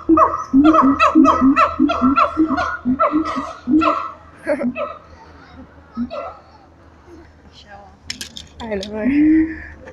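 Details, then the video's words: Siamang apes at Taronga Western Plains Zoo giving a run of quick repeated hooting barks for several seconds, fading into scattered softer notes, with a rising whoop at the end. "The Siamang Ape's at Taronga Western Plains zoo going bananas"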